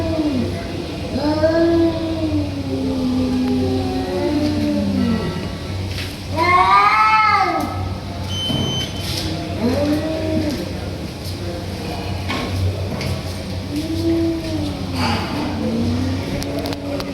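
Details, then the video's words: Fighting tabby cats giving long, wavering, drawn-out yowls and moans, one rising shriek midway, over a steady low background hum. "Cats Making Fight Sounds"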